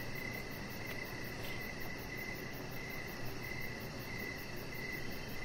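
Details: Crickets calling in the evening beside a deck where a pet Chihuahua named Rocket lies. Bright pulsed chirps repeat regularly through a broad, droning low background noise, with a faint tick around one second.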